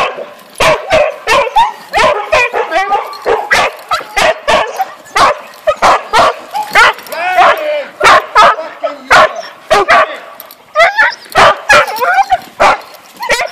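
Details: Huskies at a winter-holiday husky camp at feeding time: many dogs excitedly bark, yip and whine in rapid, overlapping bursts almost without pause, some calls rising into short wavering howls.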